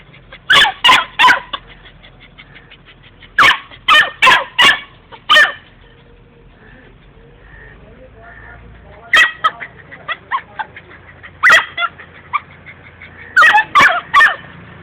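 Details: Female Labrador puppy, about three to four months old, recorded in 2011, barking sharply and loudly as if shouting at someone: clusters of three or four sharp, high barks, then pauses, with faint sounds between.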